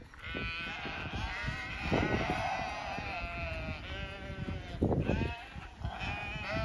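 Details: Zwartbles sheep, a flock of ewes and hoggetts on a regenerative farm in County Kilkenny, Ireland, calling as the farmer approaches with a feed bucket; several drawn-out, wavering bleats overlap, with rustling and movement sounds between them.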